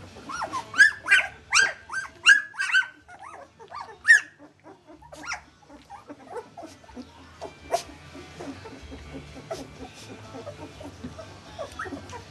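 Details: Two-week-old puppies wobbling as they learn to walk: a run of sharp, high squeaky yelps repeated about every half second, then softer scattered whimpers and squeals with light shuffling sounds.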